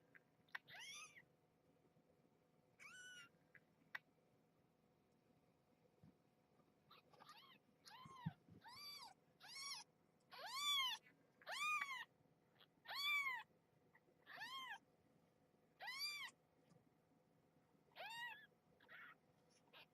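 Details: Young kittens with their mother in a box at bedtime, indoors: a run of high, thin, arched meows, about a dozen calls spaced roughly one to two seconds apart, the busiest stretch in the middle, over a quiet room hum.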